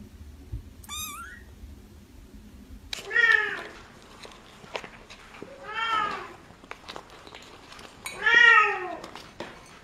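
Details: Kittens meowing: a brief high squeaky cry, then three louder arched meows spaced about three seconds apart, each rising and falling in pitch, in a quiet indoor setting.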